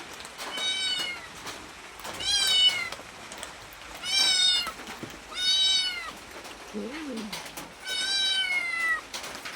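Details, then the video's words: Cat asking to be fed: five separate high, clear meows spaced about every one and a half to two seconds, each rising then sliding down, over a steady background hiss. "Suara kucing minta makanan"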